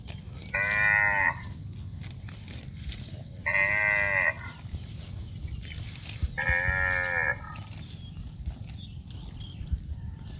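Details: Grazing cow in green grass fields mooing three times, roughly every three seconds, each call a full, harmonic bellow of about a second against constant low background rumble.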